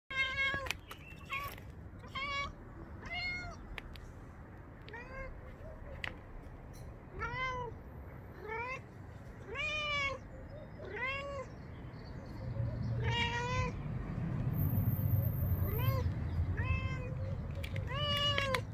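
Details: Black-and-white domestic cat meowing repeatedly, about a dozen drawn-out, arching meows rising then falling in pitch, some short and clipped, spaced a second or two apart over a steady low rumble that swells louder toward the end.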